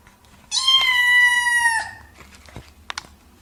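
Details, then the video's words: Single drawn-out cat meow lasting over a second, bright and harmonic-rich with a slight downward slide at the end, followed by a few soft clicks and taps in a quiet room. "Мысық дауысы | Meowing cats | Мяуканье кошек"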